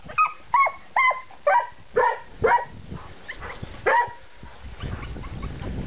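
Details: Carpathian hound being trained on a badger and attacking it, giving about eight sharp, harmonic barks at roughly two per second, tapering off into rustling and low background noise as a man urges it on.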